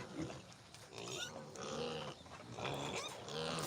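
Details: Newborn domestic piglets on a farm: soft grunts and short squeaky cries come irregularly through steady background noise, with a few rustles and bumps.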